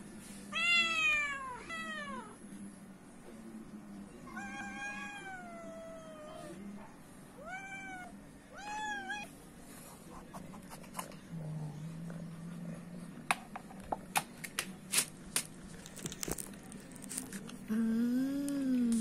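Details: Hungry stray cats visiting a house for food: a run of four or five arched, wavering meows in the first ten seconds, then clicking and tapping noises as feeding goes on, with one low, rising meow at the end.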